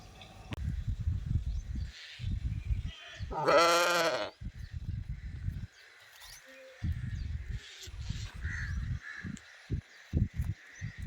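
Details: Sheep giving one loud, quavering, wavering bleat lasting under a second, surrounded by repeated low thumping and rumbling handling or wind noise before and after.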